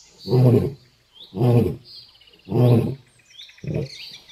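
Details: A lion on a road gives intense, deep, throaty roaring grunts, about one a second, with faint birdsong behind.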